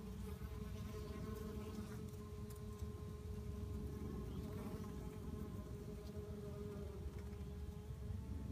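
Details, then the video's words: Honey bees fighting, one bee apparently attacking another from a possibly different colony; a steady, droning buzz with a clear low hum tone holds throughout, over rough, broad background noise. "Bees fighting"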